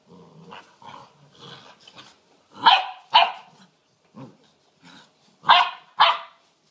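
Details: Playful six-week-old puppies tussling indoors: low growls and small yaps build into two pairs of sharp, high barks, each pair about half a second apart, with quieter grumbles between them.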